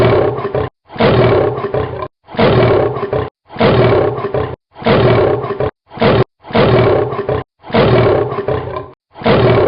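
A lion roars in a string of loud, deep, rasping bursts about a second long, repeating with short pauses.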